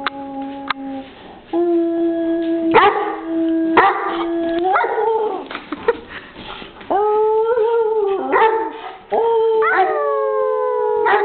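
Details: Bruiser, an English Mastiff, showing off his howling: long sustained tonal howls with rich harmonics, some held steady and others sliding downward, broken by short gaps and brief sharp yelps between notes.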